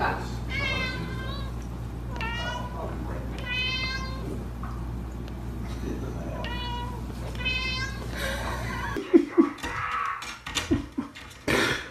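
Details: Domestic cat indoors, meowing loudly in a string of about five drawn-out harmonic meows spaced one to two seconds apart, over a low steady hum, ending in clattering, bumping noises and voices.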